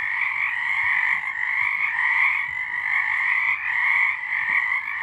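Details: Frogs sing in a thick chorus on a March 2023 night, an even, buzzing wall of overlapping trills with small rhythmic swells, plus faint low thumps in the background.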